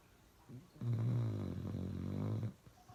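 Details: Uno, a pet dog, snoring loudly indoors: one long, low rumbling snore of about two seconds with a steady droning buzz, in a quiet room.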